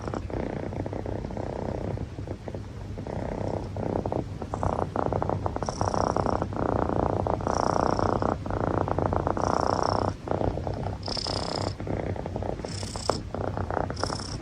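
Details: Ten, a long-haired male Munchkin cat nearly one year old, purring and snoring. A low, continuous rumbling purr runs throughout, and airy breathing swells roughly every two seconds with brief hissy snorts on the in-breaths.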